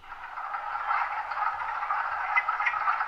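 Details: Wood frogs calling in early spring at a vernal pool or marsh, males inflating and deflating vocal sacs on the sides of the head with each note; a dense, continuous chorus of rough, clattering quacks overlapping throughout.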